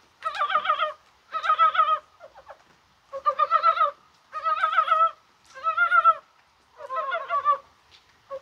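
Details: Spring-like rain on 21 January brings mountain frogs into voice, possibly spawning. Seven evenly spaced, buzzy, pulsed croaks follow one another about once a second, each roughly half a second long.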